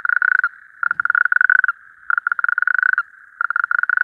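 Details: A male natterjack toad, excited at an evening mass gathering at temporary breeding waters, gives its loud, rattling mating trill in rapid pulsed bursts to attract females.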